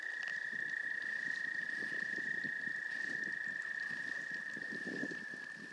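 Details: Wood frogs calling while mating at the Goldfish Pond, Gillette Castle State Park, on 11 April 2021: a dense run of low, hoarse clucking bursts, about four per second, over a steady high-pitched drone.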